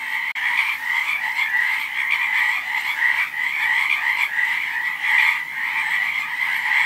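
Many frogs call together in a continuous, pulsing trill, their voices merging into one unbroken chorus. The sound stays level and busy throughout, with no other noises standing out.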